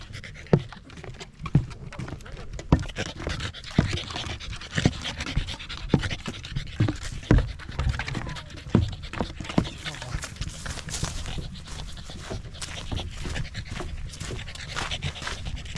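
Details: Pembroke Welsh Corgi hiking Mount Jinbagata, Japan, on a clear autumn day before the leaves changed color; continuous rapid panting over rhythmic crunching footsteps on the trail.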